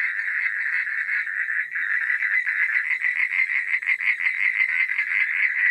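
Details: A night-time frog chorus: overlapping, fast rattling croaks pulsing several times a second, steady and loud across the whole stretch with a faint high hiss behind.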